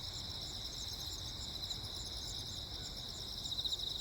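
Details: Short stretch of cricket song on Jeju Island, South Korea, 15 August 2024, during a storm with constant lightning: rapid, high pulsed trills in layered bands, growing slightly louder near the end, over low rumble.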